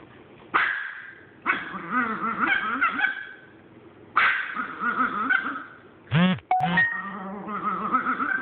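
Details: Chihuahua hoarding an item against a Boston Terrier gives its battle cry: long wavering, warbling growl-howls in loud bursts, then two sharp barks near the end before the warbling resumes.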